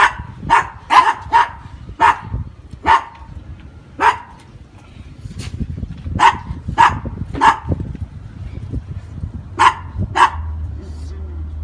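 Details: Brussels Griffon in Veracruz barking repeatedly, sharp bright yaps in bursts, some closely paired, spread across nearly twelve seconds over a low rumbling background.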